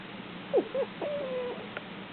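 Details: Kilala, a pet cat, whimpers like a puppy while snoring and dreaming: two short, high squeaky whines, then one longer, thin, level whine that fades out. A small click follows in a quiet room.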